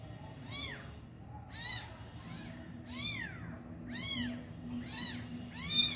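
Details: Injured mother cat reunited with her abandoned kitten at feeding time; six clear, high, arched meows repeat about once a second, each rising then falling, over a soft low background hum.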